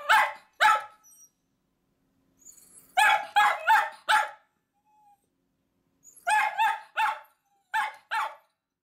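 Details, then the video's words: Choco-chan and Kuu-chan, miniature dachshunds, yap at their departing owner, wanting to join the trip to work. Sharp, high barks arrive in tight groups of two to four, separated by brief silences. "ミニチュアダックスフンド 犬 鳴き声 私も行く！Miniature Dachshund dog barks I also go!"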